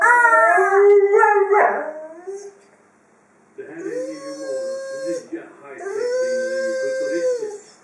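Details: A female Dobermann playing with her toy, first giving wavering, falling whine-howls, then after a short quiet spell two long, level, drawn-out howls with an arched pitch contour.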